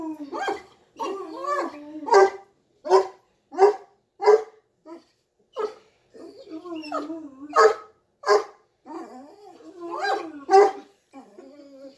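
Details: A Cane Corso roughhousing with its puppy sister lets out a rapid series of short, sharp barks, about a dozen over several seconds. Wavering whiny groans come between the barks, and a person talks throughout.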